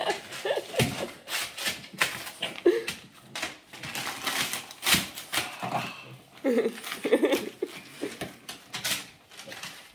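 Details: Boston Terrier named Yoda "reading": several short, whiny, grumbling vocal sounds scattered among rustling, clicking and handling noises.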